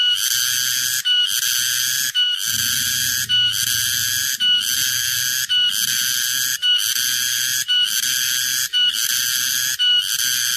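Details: Summer cicadas: a high, rasping buzz without letup, surging in regular pulses about once a second with brief dips, over a faint low rumble.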